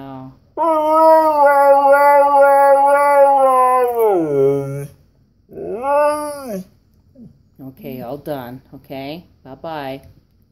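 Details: Male Siberian Husky whining because he wants a walk: a long level tonal whine of about four seconds dropping at its end, a shorter arched whine, then several brief rising-falling yelps mixed with a person talking.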